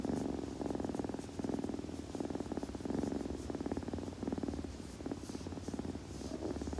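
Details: Purring kitten during grooming: a low, throbbing purr that swells and fades with each breath roughly every second and a half, close and intimate, faint rustling of fur.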